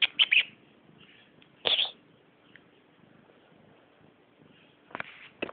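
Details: Squeaky, chirp-like meows from Remy, a female house cat: three quick high squeaks at the start, a longer one near two seconds, then a pair of sharp squeaks at the end in a quiet room.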